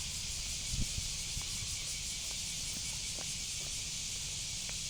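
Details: Cicada (semi) producing a steady, unbroken high hissing drone that never pauses, with soft low thumps and rustling underneath around the first second.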